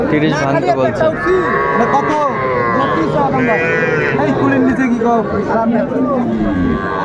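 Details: Bull calves of the Sahiwal breed at a Dhaka cattle market, Bangladesh, 11 February 2025: many short and long moos from several calves sound almost continuously, mixed with market chatter and bargaining voices.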